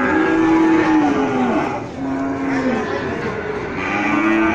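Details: Male goats at a livestock sale in Gunungkidul, Indonesia, September 2020, giving several drawn-out, wavering bleats that overlap one another, with steady market crowd noise underneath.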